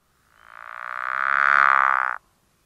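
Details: Pickerel frog call from early spring in Winnebago County, northern Illinois, where the species is extremely rare, likened to a purr, snore or creaking door: one low, rapidly pulsed snore lasting about two seconds that swells, then stops abruptly.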